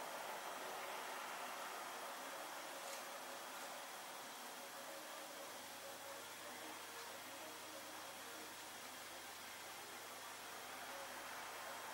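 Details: A faint, steady broadband hiss like distant traffic or air conditioning fills the night recording, with no barking or other animal calls.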